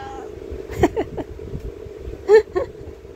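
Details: Kurna the black cat in a tantrum lets out two short, sharp meows about a second and a half apart, between a person's Filipino speech, over a low steady hum.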